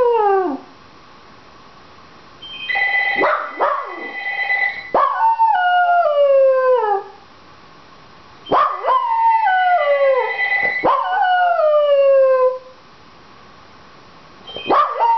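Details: Dachshund howling while a telephone rings, wanting the phone answered: long wavering howls that slide downward, repeated in bursts of two or three, with a steady electronic ring tone sounding in between.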